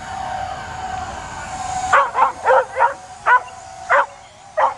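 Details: Dog barking and jumping at a drone flying overhead, trying to get it: after two quiet seconds, a run of sharp barks roughly every half second, irregularly spaced, over the steady whine of the drone's motors.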